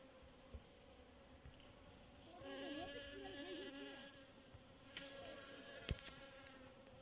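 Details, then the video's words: Bee buzzing: a low, steady droning hum with wavering tones that swell and shift for a few seconds, over a noisy outdoor background with occasional clicks. "Relaxing Bee 🐝🐝🐝 making sound"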